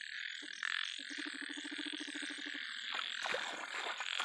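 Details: Big yellow frog producing a sustained run of evenly spaced low pulses for about a second and a half, a rattling croak, with a dense high-pitched chorus and some rustling noise behind it.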